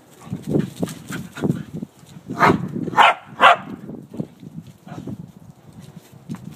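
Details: Several pet dogs at play, a mix of pit bull mixes, a wire-haired terrier mix, a red heeler and a Lhasa Apso, making rapid low growling pulses, then three sharp barks in quick succession, then more low grumbles.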